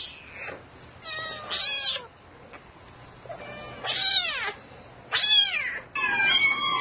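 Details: At night a domestic cat calls for a mate with about five bright, harmonic meows in quick bursts, each one sliding upward and then dropping. Quiet background noise fills the gaps.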